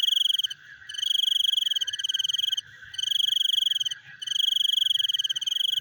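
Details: Night frog calls described as chewing: loud, high, rapidly pulsed trills, each lasting one to one and a half seconds and separated by short pauses, over a softer continuous clicking chorus lower down.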